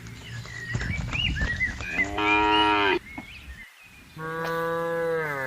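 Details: Farm cattle driven into their pen, Indonesia, with a noisy start of shuffling and thumps, then a steady moo and a second, longer drawn-out moo after a short silence.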